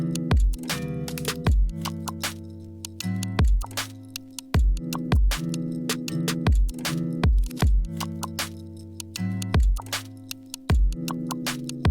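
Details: Looping music with a regular thudding beat, clicking percussion and sustained low tones that repeat about every one and a half seconds; no animal voices.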